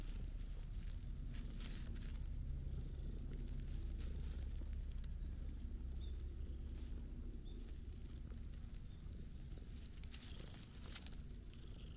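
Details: Steady low outdoor rumble with faint rustling and scattered soft clicks, no animal calls heard.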